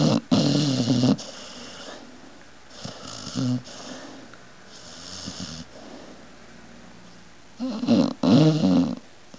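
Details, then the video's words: Sleeping pit bull snoring: loud, harsh rasping snores at the start and end, separated by softer, wheezy breathing. "funny pit bull snoring"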